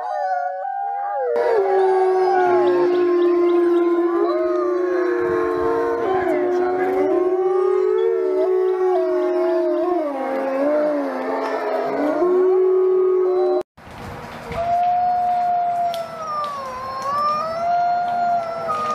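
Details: Several gray wolves (Canis lupus) howl together as a pack in long, wavering, overlapping tones that rise and fall.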